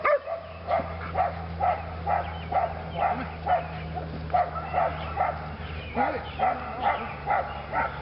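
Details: Lily, a female Belgian Malinois training in PSA on leg sleeves, her second session; steady run of sharp barks, about two per second, over a low constant hum.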